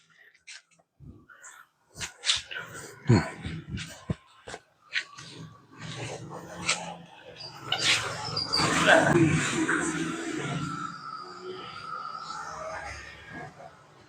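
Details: Cane Corso puppy named Turin during bite training, tugging on a soft cotton cloth indoors: sharp scattered bursts early on, then a long rough, noisy stretch of growl-like sound, with brief human speech alongside.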